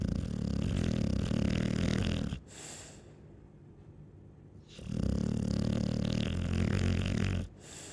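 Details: Chow Chow dog snoring: two long, loud, rough low snores of about two seconds each, separated by a quieter pause, with a hissing breath at the end of each.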